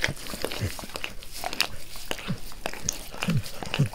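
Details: Max the dog licks his owner's face with zeal at close range in a small room; quick wet slurps and tongue smacks repeat several times a second, with low thuddy swipes between them.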